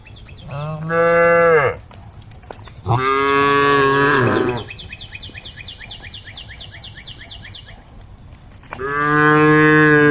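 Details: Female cow on a forest road calling to a herd of tame cows: three long, deep, harmonic moos, each about a second or more, with a rapid, high, repeated chirping series behind the middle section.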